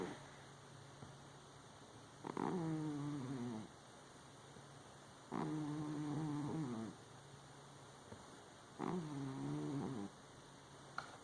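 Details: Cat snoring: three drawn-out wheezy snores about every three to four seconds, each a raspy tone sliding slightly downward, over a steady low hum.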